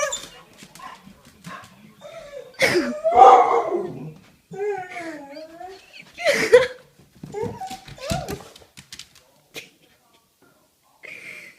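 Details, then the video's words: Pet dogs making odd, funny noises indoors: wavering, yodel-like whines bending up and down in pitch, short yips and snorts between quiet gaps, with some human speech mixed in. "My dogs making hilarious noises..."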